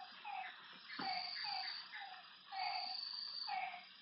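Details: Frog calling at night beside a lake: short, low, slightly falling croaks, about seven in four seconds, irregularly spaced, over a steady high insect trill and scattered chirps.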